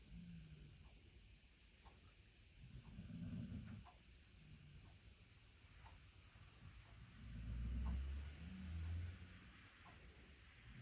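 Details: American Staffordshire Terrier named Boy snoring, with low rumbling breaths that swell into louder bursts around the third and eighth seconds over a steady low background hum.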